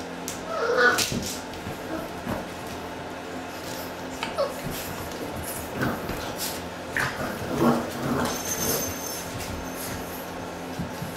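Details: Litter of Boxer puppies, six weeks old, playing together: brief high yips and whimpers come every few seconds, with a cluster near the start and another later, over soft rustling and knocking.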